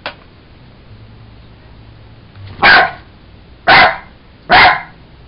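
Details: Pet Jack Russell Terrier Sugar barking while at play with a toy monkey; three loud clipped barks arrive about one second apart after a near-silent stretch, in a small quiet room.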